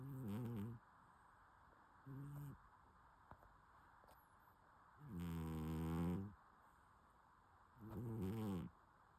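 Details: Domestic cat snoring in its sleep, deep throaty rattling breaths in four bursts at uneven gaps, two short and two longer, louder ones lasting about a second; low steady background hum and a tiny click between.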